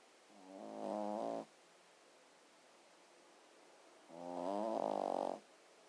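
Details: Sleeping dog snoring in a quiet room, two long rasping breaths roughly three seconds apart, each a layered, buzzy, slightly wavering snore, the second louder and longer.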